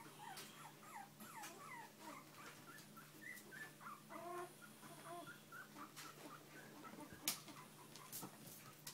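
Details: Bichon and shih poo pups and parents indoors, a dense run of rapid high whimpers and squeaks throughout, a few soft clicks and knocks, steady background hum.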